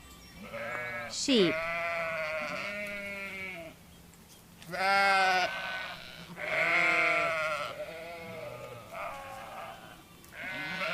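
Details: Repeated sheep bleats, some drawn-out and trembling, others shorter, from more than one animal, with a quick downward swooping sound near the start and little silence between calls.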